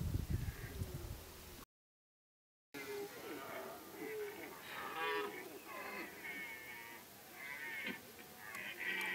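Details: Rutting deer bellowing together in Kopački rit Nature Park, Croatia, a no-hunting strict reserve. Overlapping rough, harmonic roars rise and fall in quick succession from several animals, after a short burst of low rumbling noise at the start.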